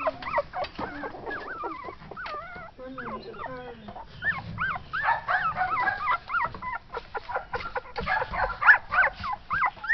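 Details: Several Shetland Sheepdog puppies born 6.4.12, heard together in an overlapping chorus of high, wavering whines and squeaky yelps that rise and fall, with scattered clicks and soft background noise throughout.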